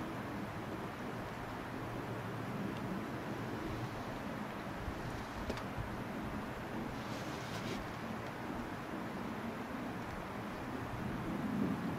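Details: Only steady broadband rumble like wind or distant traffic is heard, with no animal sound.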